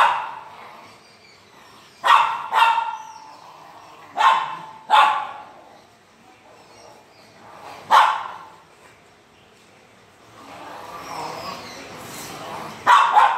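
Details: French Mastiff in India barking: deep, loud single barks and short doubled pairs spaced a second or two apart, each burst dropping off quickly, with a quiet rustling stretch near the end.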